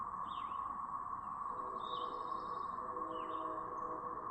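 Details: Brood of cicadas producing their siren sound in Chapin, South Carolina on May 7, 2024. A constant, even droning hum fills the whole stretch while a few short, higher, swooping bird notes come and go above it.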